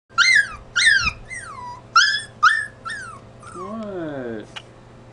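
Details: A dog crying in high, squeaky whimpers: about six sharp whines that each slide down in pitch, coming in pairs, then a longer wavering whine that rises and falls before fading out.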